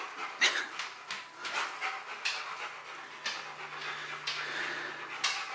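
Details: Rottweiler Bruno works through a box maze challenge to get a prize: harsh, breathy puffs repeat roughly twice a second, loud and airy, with brief quieter gaps between bursts.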